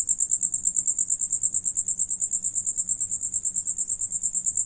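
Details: Crickets singing as one of them feeds, a bright, very high pulsed chirp beating about twice per second in an even, unbroken rhythm over faint low background noise.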